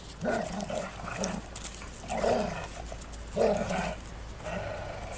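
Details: Two female Golden Retrievers play together, then suddenly start fighting, growling and grumbling in bursts of rough play, each rumbling growl rising and falling.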